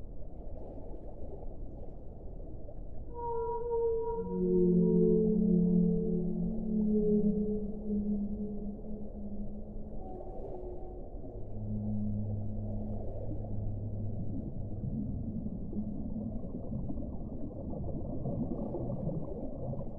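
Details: Whale song: long, low, drawn-out tonal moans that slide and overlap, with a brief higher whistled note near the start, then deeper groaning tones later, over a constant low underwater rumble.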